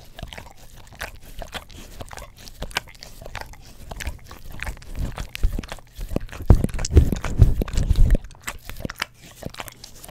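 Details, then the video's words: Pet English Cream Golden Retriever working its tongue over an Orapup tongue cleaner brush, close to a stereo microphone: rapid soft, low slurping laps, about two per second, growing louder and thicker in the middle before easing off again. "ASMR Dog Licks Orapup Tongue Cleaner Brush - 1 Hour - English Cream Golden Retriever"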